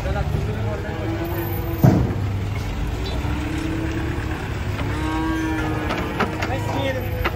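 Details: Cattle coming down off a truck, one animal angry, give sustained low moos, rising and falling, over a heavy engine rumble with a sharp knock near the start.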